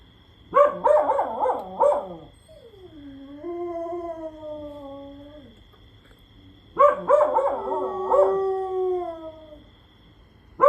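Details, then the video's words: Dog lying down and howling because its friend will not stop; bursts of wavering yips and whines lead into a long, smooth howl that sinks in pitch, then the yipping howls start again. "ขี้เกียจนั่งหอน ก็นอนหอนไปเลยลูกพี่"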